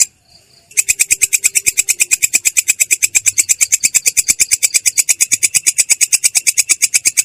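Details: After a moment of quiet, a belalang kecek katydid breaks into its "ngerol" rolling call, harsh and clear, a fast regular series of high buzzy clicks repeated about three times per second.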